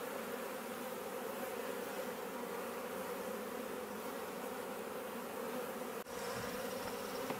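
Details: June honey bee swarm at a bait hive in a Leicestershire, England garden, bees coming and going; constant dense buzzing drone, a brief dropout around six seconds, faint high bird note afterwards.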